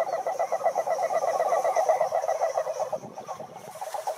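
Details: Toads croaking in a dense chorus: rapid, pulsed, nasal notes in a steady mid-pitched rattle, overlapping voices, fading slightly toward the end.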